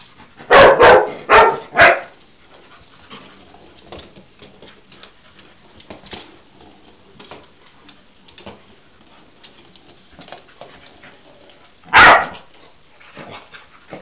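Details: Cocker Spaniel Husky mix dog facing a toy animal for the first time: a fast burst of three barks, a long stretch of faint rustling and movement, then one loud single bark near the end.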